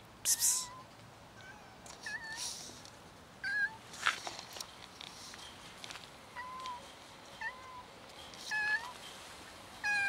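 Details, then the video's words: Several street cats, including a new little kitten, gather to be fed outdoors; short harmonic meows from different cats come scattered through the clip, some rising and falling, mixed with brief noisy bursts and rustling. "Many cats gather for food with a new little kitten"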